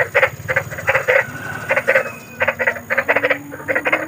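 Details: Big frogs in the wild uttering loud, coarse croaks in quick groups of two or three, rhythmic pulses with short pauses, a faint thin whistle-like tone drifting beneath.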